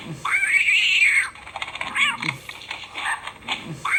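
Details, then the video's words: A single long, arching cat meow opens, followed by short chirping calls and scattered clicks, then the start of another meow. "Funny Cat Noises"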